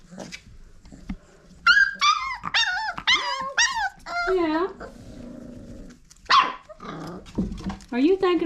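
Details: Five-week-old Old Family Red Nose Pit Bull puppies, offspring of Abby and Ragnar, at play: a rapid string of shrill, wavering yelps and squeals, some bending downward, followed by a few short growls, mixed with human chatter.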